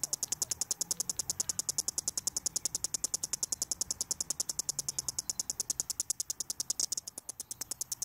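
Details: Headless cicada on the ground keeps chirping away shortly before falling silent: quick, evenly pulsed high buzzing ticks at roughly three and a half per second, continuous across the recording.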